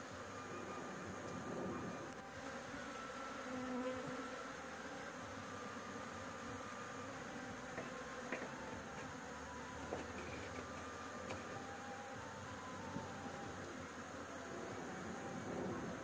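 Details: Honey bees swarm around a nest on a house roof during a honey harvest, a steady, rough, low buzzing hum with gentle swells in loudness and a few faint clicks and knocks.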